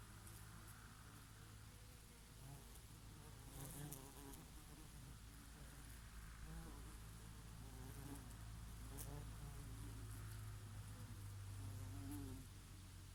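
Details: Many bees, with the occasional bumblebee, buzz around oregano flowers in summer; overlapping hums rise and dip in pitch as insects fly close and away, backed by a continuous soft breeze.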